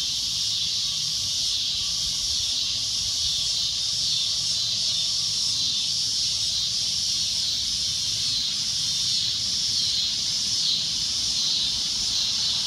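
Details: A cicada's loud shrill drone, a high buzzing hiss that pulses gently about once a second while staying continuous throughout.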